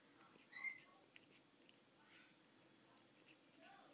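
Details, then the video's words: Snow Bengal kittens a couple of weeks old, lying around with their mother indoors; one short, high, thin mew, then faint soft squeaks and rustling in a quiet room. "Snow Bengal kittens"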